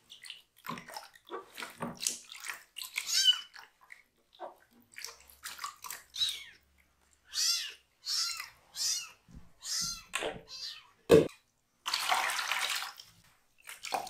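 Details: Baby rescue cat, bottom washed from the waist down since it cannot yet regulate body temperature, calling out loudly; a series of short harmonic meows among water sounds, ending with a burst of splashing.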